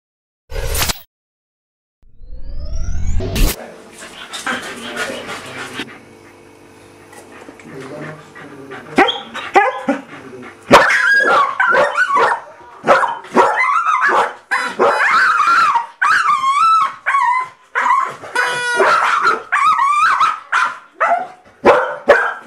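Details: Two dogs, Trixie and Tillie, excited over a toy blow horn they want; a few loud blasts and a long steady tone open, then from about nine seconds rapid, high-pitched barks and yips pile up in quick bursts, with a human voice at times.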